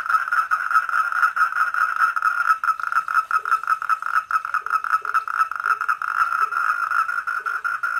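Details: Wild four-lined tree frog visiting a koi pond at night: a dense, rapidly pulsed buzzing trill held steadily throughout, with soft low notes repeating at intervals underneath.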